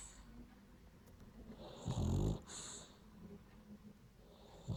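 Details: A French Bulldog snoring while asleep indoors: one loud, low, rasping snort swells near the middle, framed by softer rumbling breaths and faint hiss.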